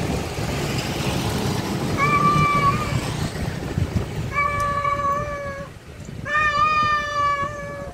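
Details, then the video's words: Male cat calling a wild female: three drawn-out meows, the last loud, rich and rising slightly at the start, following each other within a few seconds over low traffic rumble. "Suara Jantan Kucing Panggil betina Liar"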